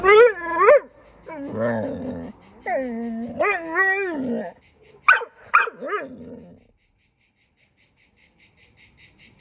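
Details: Pit bull whining, jealous of a cousin's dog because grandpa sits with the other dog: drawn-out, wavering, high-pitched whimpering howls in several bursts, ending with two short yelps, then quiet, with steady insect buzzing in the background.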